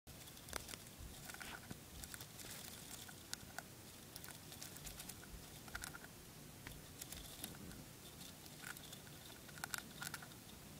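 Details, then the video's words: Dwarf hamster eating spray millet indoors: quiet, dense crunching and nibbling with rapid dry clicks and crackles throughout, a few sharper crunches standing out, and a low steady room hum underneath. "Dwarf hamster eating a bit of spray millet"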